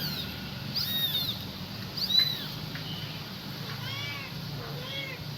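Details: Kitten calling its mother: a few sharp, high meows early on, then fainter bending cries, with a low humming background throughout.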